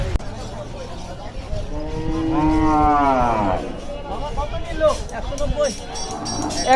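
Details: Cattle at Hazratpur village cattle market in Bangladesh, sold for Qurbani in 2024: one long, smooth moo of about a second and a half swelling and fading, then fainter short calls, amid crowd chatter and a vendor announcing sale prices.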